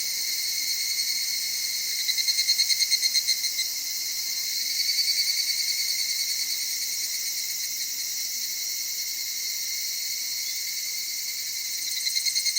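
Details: Evening cicada from Okutama, Tokyo, Japan, a cedar-forest area of mountain streams and highlands, singing softly at dusk or dawn; continuous high ringing tone with several bursts of rapid pulsing that rise and fade.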